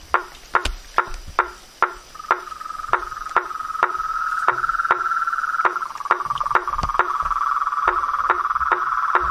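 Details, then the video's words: Nature chorus of frogs, toads and treefrogs: loud knocking calls at roughly two or three per second, joined midway by a steady continuous trill that swells and carries to the end. "Os sons dos sapos , rãs e perereca na Natureza"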